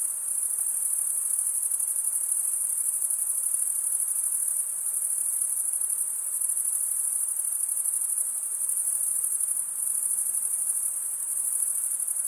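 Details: Steady stridulation from crickets, sound made by running one wing over serrated teeth on the other and usually by males; a constant shrill, pulsing high trill fills the whole stretch with only slight swells in loudness.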